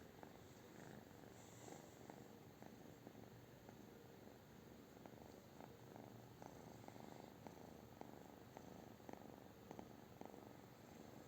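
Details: Pet British Shorthair giving a continuous low purr, rhythmic breathing pulses repeating about twice a second over an even background hiss.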